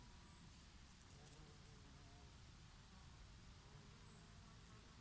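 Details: Bees grazing on oregano, their favourite flower, in summer: a soft, low, droning hum with faint steady tones, half-buried under the rushing of a summer breeze.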